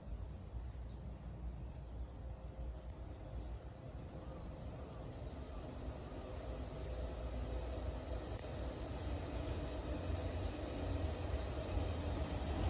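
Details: Cicada calling in Meguro, Tokyo, Japan, on 27 June 2023: a steady, unbroken high buzzing drone holds for the whole stretch over a constant low rumble of traffic and passing trains.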